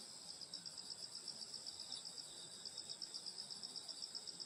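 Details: Night-time insect song in the countryside in summer at a grandmother's home: piercing steady high trill with evenly spaced chirp pulses near four per second, faint low background rumble.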